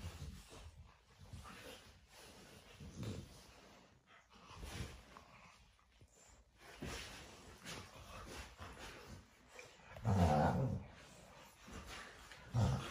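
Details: Cane Corso puppies sparring in their morning play routine: scattered low rumbling growls and snorts, with a louder burst of throaty growling near the end and quieter scuffling between.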